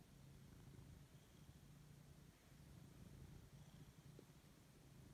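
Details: Siberian cat Lexi, a male, waking up and enjoying a fuss indoors, gives a deep continuous purr, a low even rumble with almost no other sound beyond a faint click.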